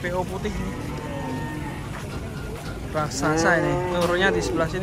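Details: Large cattle unloaded from a truck; after a quieter stretch of murmuring voices, a loud, quavering bellow bursts out and bends downward, joined by a second overlapping moo, with low traffic noise throughout.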